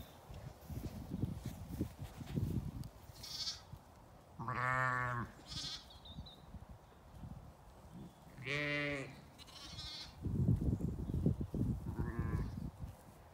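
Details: Playful lambs turned out on a sunny day at an Irish farm in County Kilkenny; two long wavering bleats about four seconds apart, with higher shorter cries between them and rustling, trampling sounds in the grass.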